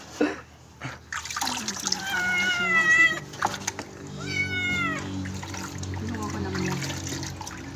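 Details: Kitten or cat meowing during its first bath, two drawn-out falling meows around the middle with water sounds and a steady low hum underneath.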